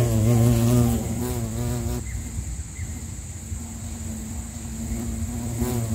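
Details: Bumblebee (Bombus pennsylvanicus) in Sri Lanka: a loud, deep humming buzz for about two seconds, shifting slightly in pitch, then fading to a weaker drone that swells again near the end, with a constant thin high tone behind.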